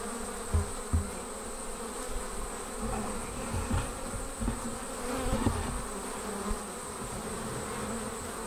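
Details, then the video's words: Honey bees departing their hive and forming a swarm: a dense, steady droning hum with stacked tones, over low rumbling noise and a faint high whine. "Bee Swarm Leaving the Hive"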